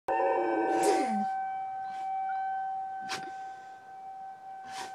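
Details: Riley the dog howls at a tornado siren: a wavering, harmonic howl sliding downward over the first second, set against the siren's steady, loud tone and a few sharp knocks.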